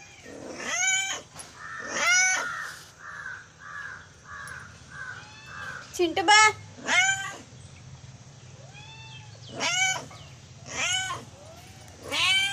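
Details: Domestic cat, hungry in the morning, gives repeated rising-falling meows roughly every second or so, with a quieter series of short flat tones in between and a person's voice nearby.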